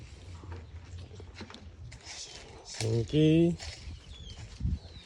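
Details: Prospective breeding buck, a PE (Peranakan Etawah) goat, on a farm in Gelang village, Keling, Jepara, Central Java, gives one loud, wavering, half-second bleat. Men talking and rural background noise surround it.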